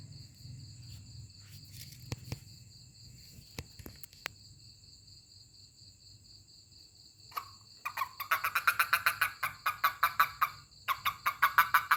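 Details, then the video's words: A toad is touched; after several seconds of quiet with a few clicks, a fast, buzzing pulsed croak begins, repeating about seven times per second in two long runs with a short break, over faint electronic tones. "Funny Toad 🐸 Sound when I Touch it/面白いヒキガエルの鳴き声"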